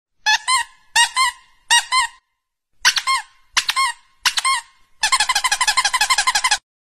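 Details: A dog gives high, squeaky whimpers in short paired bursts, ending in a rapid run of pulsed squeals, while being cuddled.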